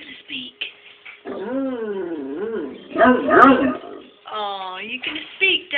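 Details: Aged Great Dane, eleven years old, vocalizing to its owner: a series of wavering, howl-like whines that bend up and down, with a rougher grumbling stretch in the middle and shorter yips toward the end.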